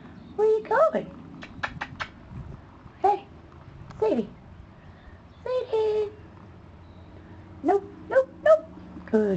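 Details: A female dog left alone, looking for her sister, gives short, high, wavering whines and yelps in bursts of one to three, with quiet gaps between them, while a woman talks softly to her.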